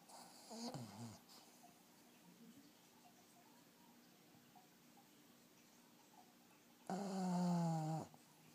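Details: A sleeping black pug snores in a quiet room. A short, rasping snore comes first, then a long, quiet pause, then a loud, buzzing, low-pitched snore lasting about a second with a slight downward slide.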